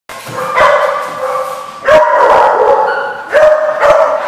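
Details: Several dogs barking at once at a place called The Barking Lot, recorded 11/3/14; overlapping harsh barks in bursts near the start, around two seconds and again near three and a half seconds, with continuous background barking between.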